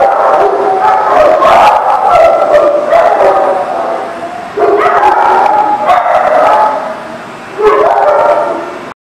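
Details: Dogs in chorus: loud sustained wavering howls overlapping with short barks and yips, in bursts that stop and restart, with a brief quieter stretch before a final loud burst.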